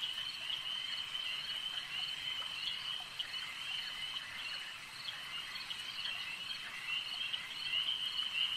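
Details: A lakeside frog chorus: many callers merge into a continuous high-pitched trill with scattered rapid pulses. One higher whistled note stands out briefly near the end.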